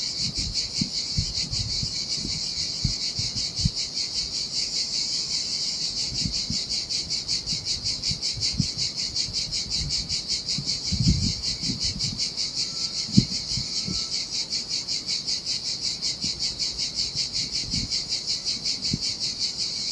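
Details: Cicadas singing in the heat by the sea on a desolate Sardinia beach: a steady high, hissing buzz pulsing about two and a half times per second, with low splashes of surf breaking on sand underneath.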